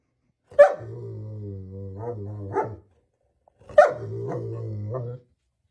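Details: Two sharp barks from a German Shepherd dog, each trailing into a drawn-out, wavering vocal tone with small rises, separated by a second of silence in a quiet indoor setting.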